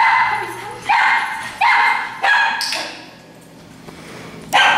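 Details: Group of daycare dogs at Tails-A-Wagging, a nuisance, alert or demand barking situation; loud harmonic barks repeated roughly every second, one bright high yip, then a pause before a final bark, low hum underneath.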